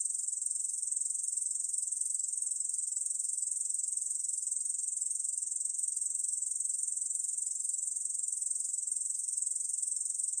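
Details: Korean bush cricket singing: a steady, unbroken high-pitched buzzing trill held at the same pitch for the whole stretch, with no other sounds.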